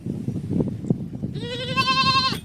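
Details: Pet sheep, received for free and hand-raised, that used to follow its owner around; after a second of low rumbling background noise, one loud, wavering, nasal bleat lasting about a second, rich in harmonics.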